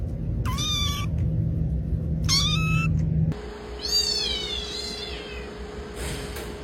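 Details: Unhappy male domestic cat meowing: two short, flat, clipped meows, then a longer wavering meow, over a steady low electrical hum.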